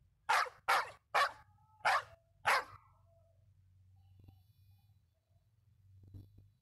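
A dog gives five sharp, loud barks in quick succession, then falls quiet.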